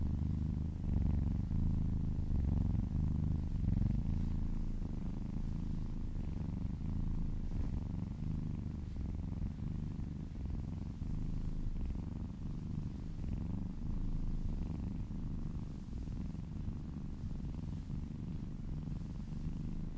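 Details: Deep continuous purring from a female kitten being massaged, licking down her owner's arm and purring close to their ears; low rumble with a fast, even pulse throughout.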